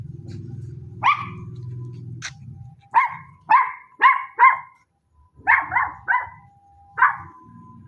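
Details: Domestic dogs barking, a series of about ten sharp harmonic barks spaced roughly half a second apart in two bursts, over a low steady engine-like hum and a faint sustained tone.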